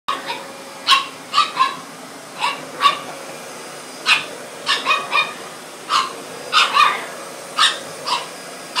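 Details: French Bulldog puppy, 13 weeks old, barking at a vacuum cleaner it meets for the first time: short, high, sharp yaps, often in quick pairs or triplets, spread across the whole stretch over a steady low motor hum.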